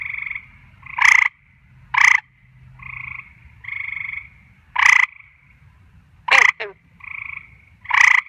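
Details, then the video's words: Frogs at night give a rapid series of loud harsh croaks, six bursts in eight seconds, interleaved with quieter sustained buzzing notes, one croak ending in a brief descending squeak. "Nighttime Frog Performance"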